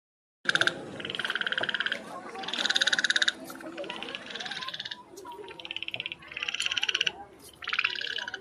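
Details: Frog. A frog gives a series of harsh, rattling croaks, each a fast train of pulses lasting around a second. The bursts come in quick succession with short gaps between them.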